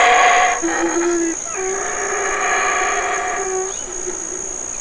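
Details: Large male black howler monkey calling while his family feeds on fig leaves and fruit in the Community Baboon Sanctuary, Burrell Boom, Belize; loud harsh roaring with sustained droning tones, over a steady high-pitched whine throughout.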